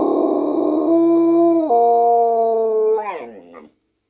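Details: Female Siberian Husky howling along with her owner's singing: a long harmonic howl holding steady tones that step down, then up, then break into a wavering, falling, yip-like tail before silence.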